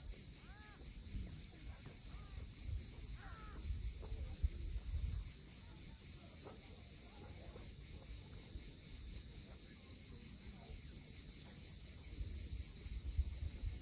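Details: Cicadas buzz steadily and high at sunset on the steep coast of Cape Fiolent, Crimea, while various birds give short curved calls and waves break low in the background.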